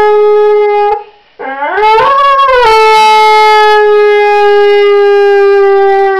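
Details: Honey the dog singing: a loud, steady, horn-like howl held for a second, a brief break, then a rising, wavering glide that settles into another long, level, richly harmonic note.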